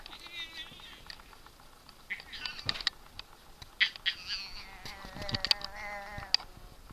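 A Siamese cat gives loud, drawn-out wavering meows, with a person speaking softly in between.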